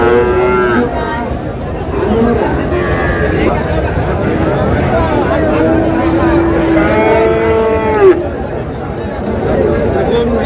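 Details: Sahiwal cattle at a Rajbari livestock market: repeated bellowing moos with curved, bending tones, the loudest near the sixth and eighth seconds, amid constant people talking and bargaining over prices.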